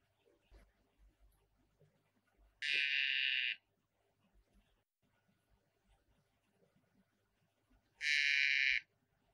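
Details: Poison dart frog giving two brief harsh buzzes roughly five seconds apart, each lasting about a second, with soft scattered background ticks and rustles between them.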